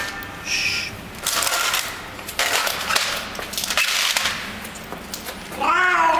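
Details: Hungry regular street cat fed in a garage basement, voicing funny 'happiness' sounds as it eats; loud crunching and rustling bursts precede a wavering, harmonic meow at the end.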